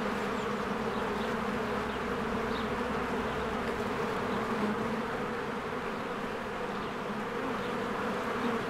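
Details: Swarming honeybees crowd the entrance of their hive in spring. Their wall of buzzing holds steady, with slight flutters in loudness, while faint high bird chirps break through briefly near the start and middle. Recorded on a Canon EOS R.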